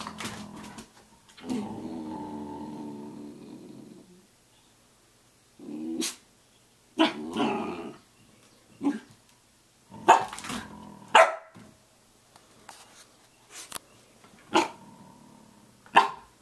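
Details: Samoyed at 6:00 a.m. giving a long droning, harmonic growl-moan of about three seconds, then a string of short sharp yips and clicks scattered irregularly over the next twelve seconds, with a brief whine between them.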